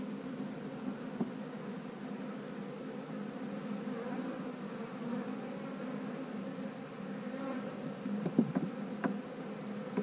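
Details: Steady droning of honey bees inside a split hive during a queen-cell inspection, a continuous low hum with a layered overtone, and a cluster of light knocks and clicks near the end as the frames are handled.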